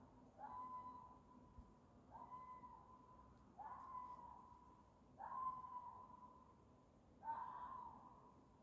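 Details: A fox gives drawn-out, wailing mating calls that rise sharply and then hold steady, repeated every couple of seconds.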